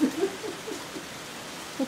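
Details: Capybaras Early and Dale at Minamiaso Petting Zoo Fairy Tale, still playing during a sudden heavy downpour, give a low, throaty series of short pulses repeated about four times a second, then a final louder burst, over a steady hiss of rain.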